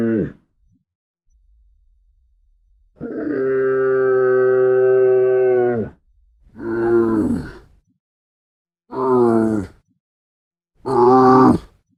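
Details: Camel calls: a brief grunt, then a long steady bellow of about three seconds, then three shorter rough grunts that bend downward in pitch, each separated by short pauses.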